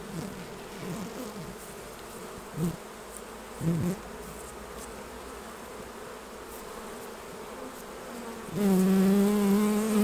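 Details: Honey bees around hives during a honey harvest, as frames are taken off: low droning buzzes of passing bees swell and fade, then one bee buzzes steadily and loudly close by, with clicks and knocks of hive handling.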